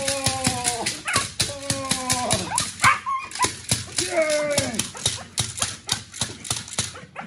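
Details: Two-month-old Belgian Malinois puppy in training: high, drawn-out whines with steady tones that bend downward, several in a row, over clicking and rattling noise and background music.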